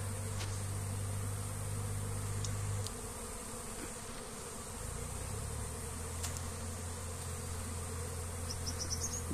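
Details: Honey bees at a comb being moved by hand, working lychee blossoms for nectar: a steady low droning hum with a shift in pitch partway through, and faint brief high chirps near the end.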